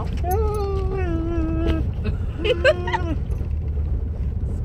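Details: Maggie the pet dog, reacting to squirrels, holds two sustained tonal whines, the first slightly falling and about a second and a half long, the second flat and shorter, over low rumbling noise.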